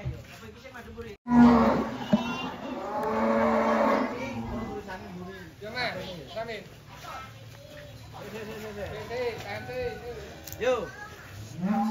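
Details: Large cattle being unloaded from a truck in 2025 give a low, drawn-out moo lasting about two and a half seconds near the start. Men's voices, clapping and music mingle in the background.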